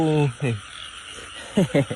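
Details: Frog croaking in the rainy season while frogs are being caught at night: two deep, harmonic croaks open the recording, a pause of low background hum follows, then a quick cluster of three short croaks near the end.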